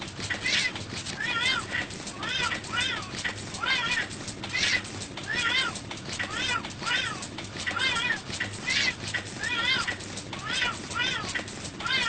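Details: Domestic cats and kittens meowing in a compilation, short arched meows repeated about every second, overlapping voices of several cats, with steady background noise throughout.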